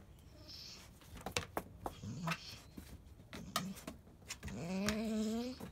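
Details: Pregnant field-line Labrador Retriever named Biscuit whining indoors, seeming to complain that her belly feels different as it drops; short soft murmurs, then a longer rising, wavering whine near the end, with clicks and handling noises.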